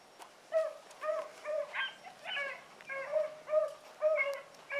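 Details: Training pups Sassy and Magnum with Ringo and Boone: a rhythmic run of brief, upward-bending whimpering yips, about two per second, several overlapping voices, quiet background.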